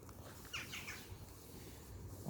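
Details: Bengal kitten out on an outdoor walk, giving a brief, thin, high-pitched meow of two or three quick rising-falling notes, faint against low rumbling background noise, with a louder thump at the end.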